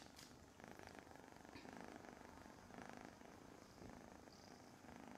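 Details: Continuous rhythmic purring from a Von Trapp foster kitten petted on a lap in the morning kitten room, the buzzy rumble swelling slightly in places, with faint speech and handling noise alongside.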